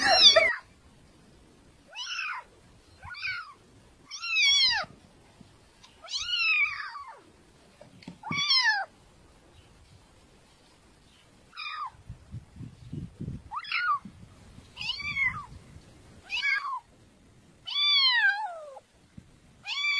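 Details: Domestic cats meowing, one of several beautiful cats: short harmonic meows, each falling at the end, about a dozen spaced irregularly over twenty seconds, with faint low rumbling between some calls and quiet background otherwise.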